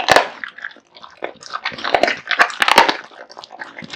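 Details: Raw meat and bones crunched by Kotetsu, a male American Bully pet dog with a big appetite: dense bursts of wet biting, sharp bone cracks and smacking chews in quick irregular succession indoors.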